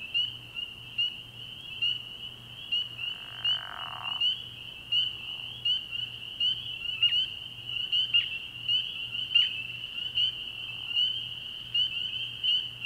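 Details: Night chorus of spring peepers at a frog pond in early spring, a steady high shrill band punctuated by louder individual rising peeps, roughly one every second, with a brief lower rasping burst near the start.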